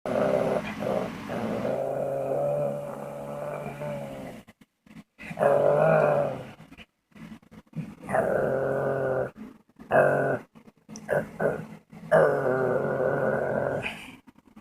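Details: Dog making odd noises and silly faces indoors: drawn-out, droning, moaning growls in several bursts with short silent gaps, over a steady background hiss.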